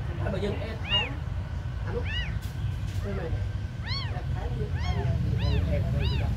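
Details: Small abandoned kittens: soft scattered mews at first, then a run of loud, clear, arched cries about every half second toward the end, over a low background rumble.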